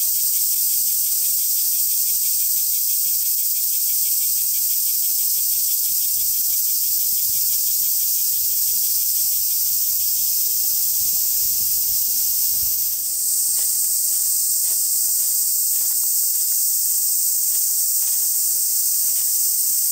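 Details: Cicadas on a summer day under strong sun at Oike Park in Tokai City, Japan: a dense, shrill, continuous buzzing drone that stays steady throughout, with a brief dip in intensity midway and faint clicking after it.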